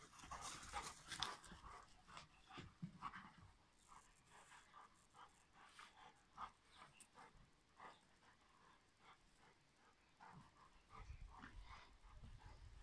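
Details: Two Rhodesian Ridgebacks, a couple, panting while playing; quick, breathy bursts repeat about twice a second, uneven and fairly soft, with a few louder scuffling noises near the start and the end.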